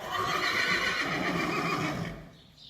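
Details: Friesian horse in a herd, asking to go outside, giving a loud sustained whinny with strong tonal harmonics lasting about two seconds, then fading into quiet.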